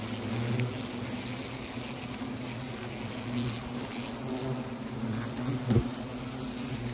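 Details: Disturbed wasp nest inside a tree trunk serving as a pot stand at Le Vaudreuil, France, in early November; continuous deep buzzing hum of many wasps with a short sharp knock near the end.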